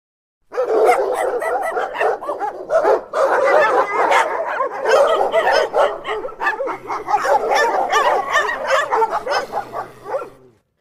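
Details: Russian dogs barking in a dense, continuous chorus of overlapping loud woofs and yaps with no real pauses for about ten seconds, suggesting several excited dogs at once, with a faint low hum beneath.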